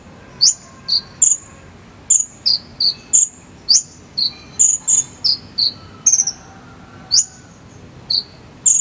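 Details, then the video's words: Cricket, in the 'jangkrik sambung cililin' style, recorded as fill-in material for training a konin bird: high, sharp chirps and brief pulsed bursts, some sliding downward, sounding irregularly about twice a second over a quiet background hiss. "KONIN ISIAN JANGKRIK SAMBUNG CILILIN"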